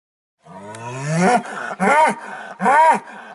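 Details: Aubrac bull calling at a farm campsite near Laguiole, La Montagnette: a low, rising drawn-out moan followed by two shorter, arched, harmonic bellows about a second apart, with quiet pauses between.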